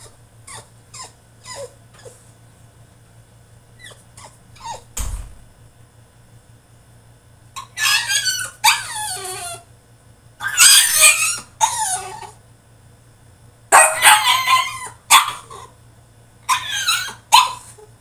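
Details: Caged French Bulldog in a tantrum: short whimpers early on, then repeated loud, squealing yelps and harsh cries in bursts of about a second, with brief pauses between them, over a low constant hum.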